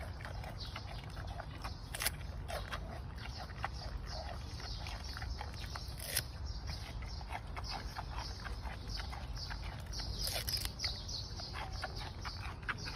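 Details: Giant panda feeding on bamboo shoots: steady crunchy chewing with scattered sharp cracks and splintering snaps every second or two, a louder crunching burst around the middle, low background rumble beneath.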